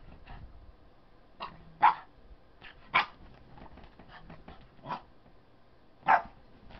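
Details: A Boston Terrier puppy runs about on a bed, giving sharp, high barks at uneven intervals as if declaring the bed his.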